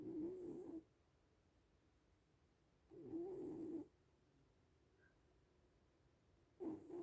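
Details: Sleeping little cat snoring softly: low rasping breaths swelling roughly every three seconds, each lasting under a second, with quiet pauses between and no other sounds.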